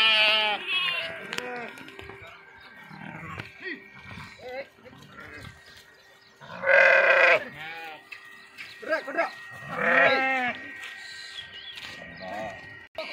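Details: Sheep and kids swimming in a river; scattered bleats, with two loud quavering calls near the seventh and tenth seconds, amid human chatter and splashing.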